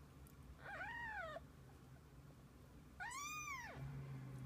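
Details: Two clear, drawn-out meows from kittens and their mother cat spending the day together, each rising and then falling in a smooth arch, separated by a quiet pause of about a second and a half.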